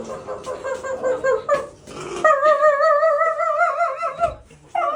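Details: Dog making a strange noise indoors: a tonal, wavering whine with a harmonic-rich pitch near the middle of the range, sustained for about two seconds, preceded by shorter broken yips and whimpers.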